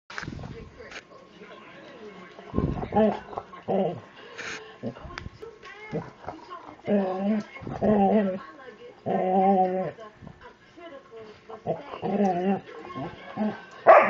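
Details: Overweight 70-pound Labrador Retriever being drawn into playtime by Allie, giving drawn-out harmonic whining and moaning vocal bursts in irregular spurts, interleaved with short snorts, scuffles and quiet human speech.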